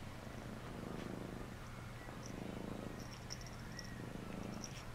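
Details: Pet cat Phluffy purring while being given a bath: a steady low rumbling purr throughout, swelling in phases roughly every second or so, with faint high drips and clicks of water above.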